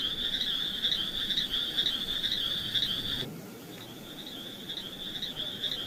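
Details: Frogs among mossy wet rocks, alongside snails, producing a loud continuous high trill that cuts off abruptly midway, then resumes more quietly after a short pause.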